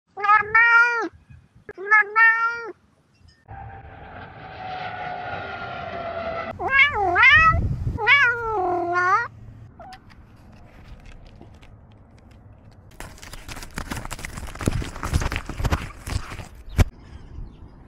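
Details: Cat meowing loudly in repeated drawn-out wails with strong harmonics, rising then falling, several in a row, followed by a quieter stretch of rumbling and clattering vehicle or train noise.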